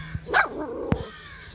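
A Cavalier King Charles Spaniel puppy gives a single short, high, yappy bark.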